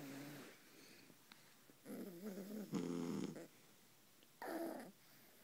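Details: Two sleeping Beagles, a mother and her puppy, snoring on a pillow right beside the listener's ear; rough, wavering snores in irregular bursts with quiet gaps between them.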